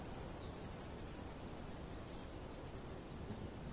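A male Alston's singing mouse gives a rapid, very high-pitched trill of evenly spaced notes answering a rival.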